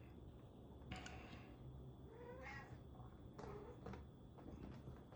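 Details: Domestic cat giving two soft, short meows a second apart, faint beneath a steady low hum, with a person talking nearby.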